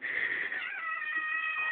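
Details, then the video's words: Kiwi, a kitten waiting impatiently at feeding time, gives a long drawn-out meow that holds steady and then slides slightly lower toward the end. "Kiwi The Kitten's Crazy Kitty Cat Feeding Time"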